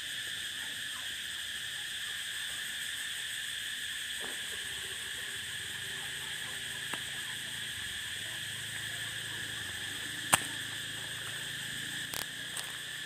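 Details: Cicada chorus on open prairie: an unbroken, steady, shrill hum fills the whole stretch, while a soft low rumble and a few sharp clicks sound briefly toward the end.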